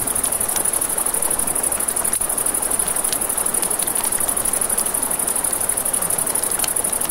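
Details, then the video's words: Nighttime crickets near a river give an unbroken, very high, rapidly throbbing trill, with sharp crackles from a campfire and a low wash of running water. "Crackling Fire, Crickets, Ambient Nature Sounds"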